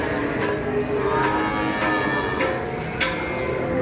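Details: Loud orchestral music with bowed strings and percussive hits fills the recording, and no animal sound is heard.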